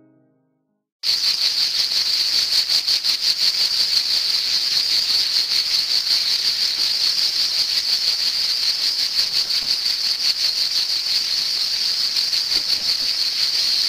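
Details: A cicada sings a loud, continuous high-pitched buzz in summer that starts abruptly and holds steady.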